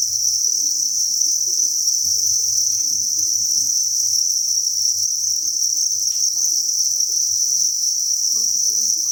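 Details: Thousands of crickets chirping together inside a cricket breeding farm: a dense, steady high-pitched trill that never pauses, with faint low rustling beneath.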